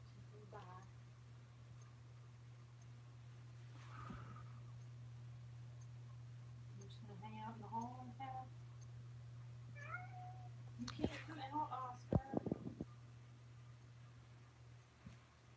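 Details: Rescue kittens and a tabby filmed indoors in Alabama on 28 May 2018 give a scattered series of short, wavering meows, some in quick bursts near the end, mixed with a woman's soft talk, sharp clicks and a constant low hum.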